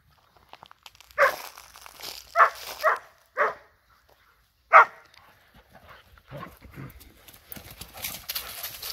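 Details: Dogs at play, a Borzoi with a Golden Retriever and a Poodle: a handful of short, sharp barks in the first five seconds, then softer scuffling and rustling noises.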